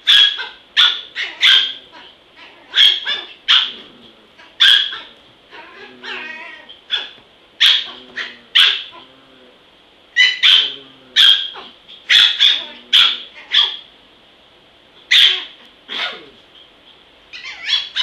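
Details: Small dog described as vicious, barking in sharp, high, rapid bursts, often two or three barks close together, with short pauses between volleys throughout; faint voices in the background.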